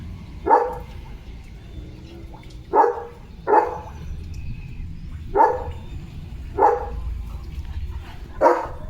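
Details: Leo, a pet German Shepherd in India, barks in a hyper, playful morning mood: six sharp, separate barks spaced one to two seconds apart over a steady low hum.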